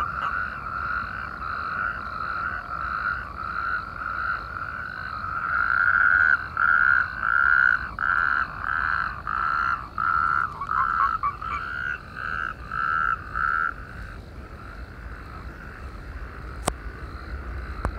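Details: Natterjack toads in chorus within irrigation canals opposite Perales del Río, Parque Lineal del Manzanares: a steady background of distant trilling, with a nearer toad's loud rasping bursts repeated regularly through the middle before fading back into the chorus.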